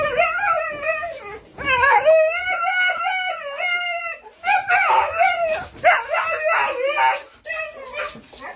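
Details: Husky sounding off at visitors like an alarm system; long wavering howl-like yowls with rich harmonics, sliding up and down, several drawn-out calls over eight seconds, broken by choppier talking-like vocal bursts.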